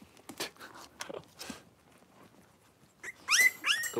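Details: Indoor puppy pen holding five young blenheim Cavalier King Charles Spaniel puppies and their mother Paris; soft shuffling and faint squeaks, then near the end two loud, high, rising yelps.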